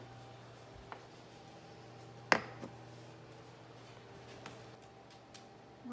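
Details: A quiet indoor room hums faintly, broken by one sharp click and a few soft taps, with no animal voice.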